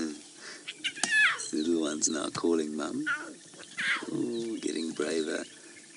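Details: Lion cubs of the Nkuhuma Pride at a buffalo kill, about 10 meters away in Djuma Game Reserve, August 2016, give short mewing cries repeated every second or so, with a man talking over them.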